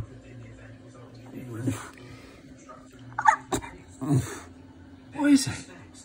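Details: A female Staffordshire Bull Terrier gives short, strained whimpering whines, stressed by the next-door neighbour's cat; the owner thinks she sounds like a goat.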